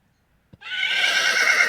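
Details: Horse (Equus caballus), neigh.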